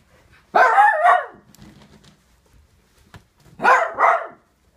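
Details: Dog in winter 2014 giving two loud, harsh barks about three seconds apart, the second breaking into a quick double, with faint background shuffling in between.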